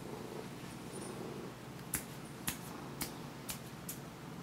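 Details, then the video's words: Siamese cat indoors in low light, seeking attention, recorded on a Sony HDR-CX550V camcorder: a soft, low rumbling purr early on, then five sharp clicks like finger snaps at roughly half-second intervals over a steady background hum. "the Siamese Cat likes attention"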